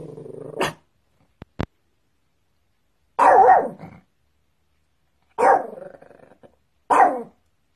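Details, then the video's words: Dog barking, from a free copyright-free sound collection: a short whine then a brief click, followed by three harsh, noisy barks spaced about two seconds apart, each with a short growly tail, on a quiet background. "Dog sounds"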